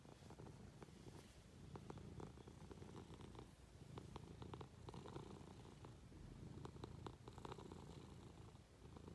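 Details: Munchkin cat purring while being affectionate, climbing onto its owner in bed; a steady low rumbling purr with soft rhythmic pulses and scattered faint clicks and rustles from bedding.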